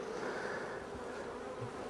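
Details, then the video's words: Western honey bees in a hive, agitated after formic acid mite treatment in Minnesota; continuous droning buzz, even in loudness, with a faint low thud near the end. "¿Puedes escuchar a las abejas reaccionar? Puedes verlas comenzando a burbujear hasta ese fórmico."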